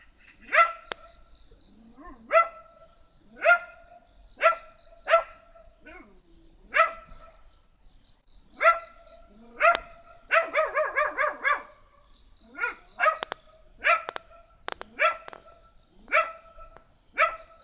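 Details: High, sharp yaps from a small black dog, mostly single barks every second or so, with one quick rattling burst of barks midway and a few soft clicks.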